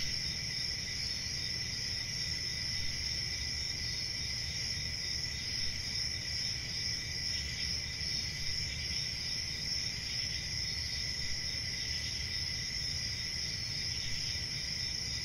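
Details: Steady chorus of chirping crickets, piercing high trills that never pause, layered over a fainter mid-pitched band and a deep rumbling undertone.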